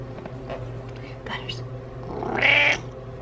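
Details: Butters, a pet cat trailing its owner around, gives soft murmured sounds, then one loud, bright, strained meow near the end, with a human voice in the background and a steady low hum.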